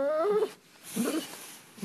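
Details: A German Shepherd refusing to get off the bed at bedtime gives two short, tonal whining moans as it is urged to move, the first sliding downward, the second rising.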